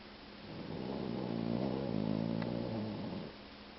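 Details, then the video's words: One long, loud snore from a two-year-old male Boxer mix dog, a deep fluttering rattle that swells and fades over about three seconds indoors. "Dog Snores REALLY Loud"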